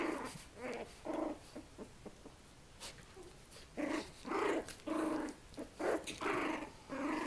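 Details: Puppies twenty days old romping with mother Mia, producing repeated short gruff growling bursts, roughly one or two a second, with soft squeals between them.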